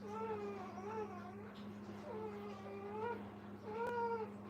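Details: Whimpering Brittany puppies beside their mother, three drawn-out tonal whines rising then dipping, spaced roughly a second or more apart, over a constant low mechanical hum indoors.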